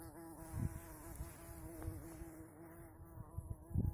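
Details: Large female bumblebee, the first of spring, seen on 16 April 2020 at a rural homestead in the Urals; steady low droning hum with a clear harmonic stack throughout, a few low thumps near the start and end.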